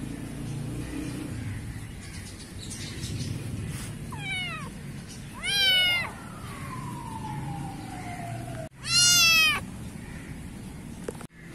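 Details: Black kitten mewing in a garden in Pakistan: a quick pair of high, bent mews, a long gliding falling tone, then a loud strained mew near the end, set against low background rumble.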